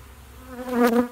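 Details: Honey bee at a bee shed, a single close flight buzz that swells over about a second, a steady droning hum with stacked overtones peaking as the insect passes near, then fading, over faint low background rumble.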